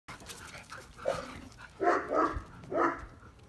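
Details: Eight-week-old male Neapolitan Mastiff puppy barking at night in a yard, 26 July 2019, at his mother, whom he took for a stranger; three high, hoarse barks close together in the last half, with faint background rustle; phone recording.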